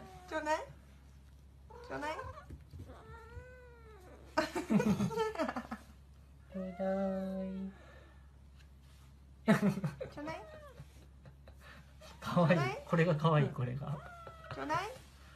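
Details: Cats being showered and bathed give a string of drawn-out, wailing meows that arch up and fall, some short and some long, with people talking softly between the calls.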